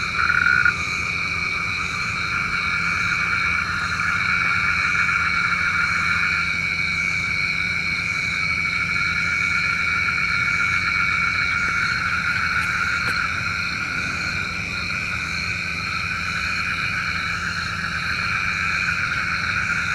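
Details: Frogs calling for rain at night. A brief loud croak opens, then a continuous droning chorus of many overlapping trills holds through the whole stretch, with a couple of faint clicks midway.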